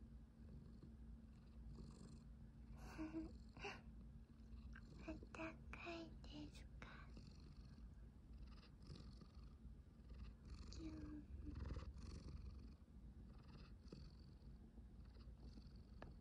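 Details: Cat in a cat tower room furnished with something fluffy, November 2023; a low even purr runs underneath, with soft whispering and light clicks and rustles on top.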